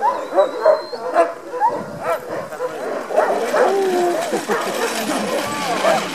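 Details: Alaskan husky sled dogs at a Denali National Park demo, keen to get into harness; several barks early on, then whining yelps mixed with human speech.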